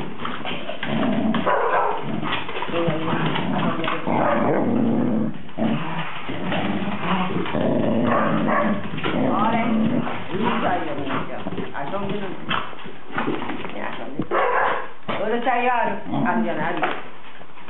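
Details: Cardigan Welsh Corgi named Goro, recorded 13 November 2008, giving low growls and nasal whining, with a run of higher whimpering cries near the end, mixed throughout with people talking close by.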